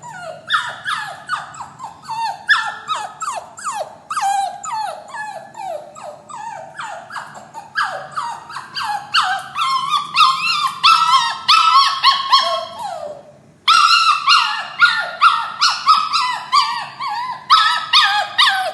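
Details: Puppy crying in a cage, panicky and sad before going to its new owner. Dense strings of yelping whines falling in pitch repeat rapidly, pause briefly after a long downward wail, then restart just as insistently.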